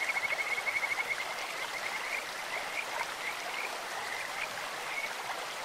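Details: Kajika frog in a clear-running stream opens with a bright, rapid trill of repeated high notes that fades into softer scattered calls beneath continuous stream rush.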